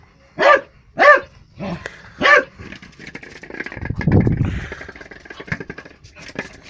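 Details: A Jack Russell Terrier at play with a football barks four times in the opening seconds, short harsh yaps about half a second apart, followed by a low rumbling, engine-like noise and a scuffling background.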